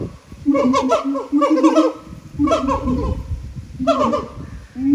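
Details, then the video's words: Singing siamangs filmed at Japan Monkey Center, their throat sacs making the voices enormously loud; bursts of barking, sliding hoots in quick clusters, pausing between phrases. "歌うフクロテナガザル | Singin siamangs"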